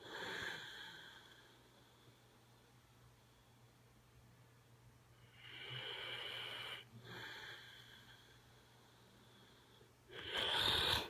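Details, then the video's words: A sleeping dog snoring: three breathy, rasping snores come in bursts near the start, middle and end, with quiet pauses between them and a faint steady low hum underneath. "Snoring dog"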